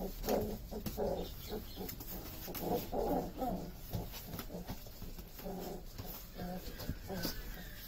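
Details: Saint Bernard puppies at play, producing short, repeated nasal whimpers and squeaky yelps in quick clusters, with quieter pauses between bursts over a noisy background.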